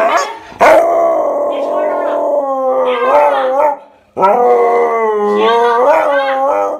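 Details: Bath-hating Siberian Husky grumbling nonstop while being washed, two long talkative howls separated by a pause, each wavering up and down with rough, voice-like inflections.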